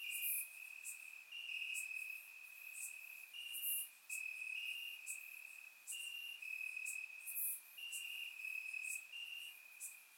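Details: Warm summer night in Bulgaria with crickets chirping in the grass; shrill trilled pulses repeat in short bursts, two or more callers overlapping, and crisp high clicks recur every few seconds.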